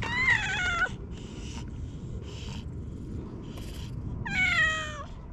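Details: Stray cat on a cat island, among strays lounging peacefully together: two loud, drawn-out meows with a falling, slightly wavering tone about four seconds apart, soft rustling and low background hum between them.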